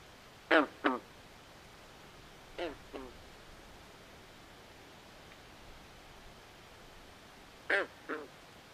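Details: Frogs calling at night in a swamp: short, nasal, quacking croaks in pairs, three pairs spread over several seconds, over a steady soft hiss of background noise.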